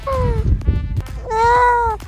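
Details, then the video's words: A young seal (pup) gives two drawn-out, nasal wails, the first sliding down, the second swelling and falling. "这是海豹。可小时候的叫声你知道吗？"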